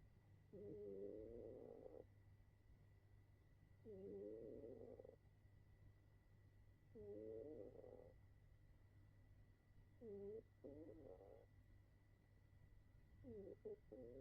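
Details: A sleeping cat snoring loudly, with harmonic, groaning snores of one to one and a half seconds each, repeating about every three seconds against a steady low hum.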